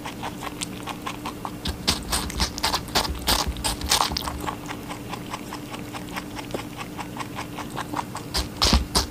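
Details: Watermelon being eaten by a rabbit, with rapid crunchy bites that come in uneven bursts, louder around the middle and at the very end, over a quiet steady hum.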